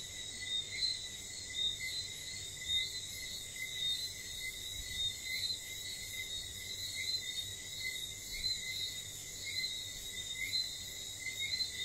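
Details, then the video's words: At night in St. Lucia, whistling frogs give quick high piping notes, many callers overlapping in an even rhythm beneath a steady, sizzling insect drone. "wistling frogs"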